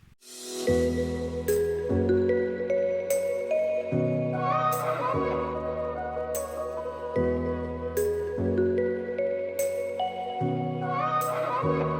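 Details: Gentle new-age piano music with repeated chords and sustained tones, and no animal voice.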